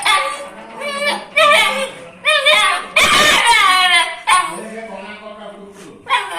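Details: Dog, described as angry, giving high, harmonic yelping barks in short bursts about every second, with sharp rising and falling yips and a loud noisy burst near the middle.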